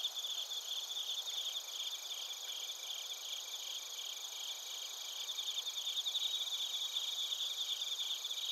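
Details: A chorus of bell crickets and crickets in Narita, Chiba Prefecture, Japan, recorded with a TASCAM Portacapture X8. Shrill continuous trills and fast stuttering pulses overlap evenly throughout, over a faint hiss.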